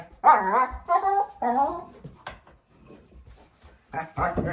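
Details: Four-month-old female German Shepherd puppy making funny noises while playing with her bowl indoors: several drawn-out, wavering whine-growl vocalizations with harmonic bands, a short pause, then two more bursts near the end.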